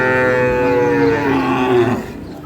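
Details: Sahiwal bull calves being fattened, at Ambari market in Parbatipur, Dinajpur, on 11 May: one drawn-out, harmonic-rich moo lasting about two seconds, sliding slowly downward, with market chatter around it.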